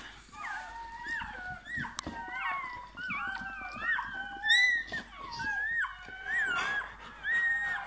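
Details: Bernese Mountain Dog puppy at birth, newborn, indoors: a run of high, thin squealing whimpers, each wavering and rising then falling, a few sharper louder yelps near the middle and end, little background noise.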